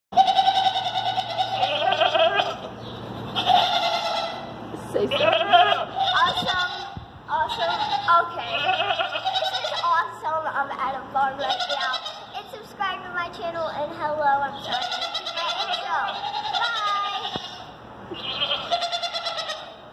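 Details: Screaming goats at a zoo: loud, harsh, trembling bleats and human-like screams, several overlapping in bursts one to two seconds long, repeated throughout, with a person talking and laughing nearby.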